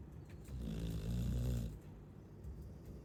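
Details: Chow Chow snoring: one drawn-out, deep, vibrating inhale of just over a second, followed by soft, quiet breathing.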